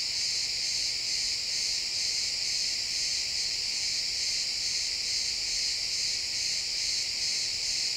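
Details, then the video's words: Numerous crickets singing in a pine forest at sunset, recorded in XY stereo; a bright, sustained high shimmer with quick regular pulsing holds steady throughout, the woods otherwise quiet. "Cricket sounds in the pine forest"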